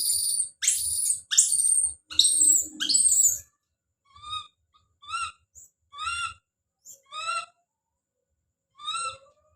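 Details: Baby monkey Don screaming as he calls out: a run of piercing, very high screams in quick bursts, then a string of softer, short wavering cries repeated about every half second to a second.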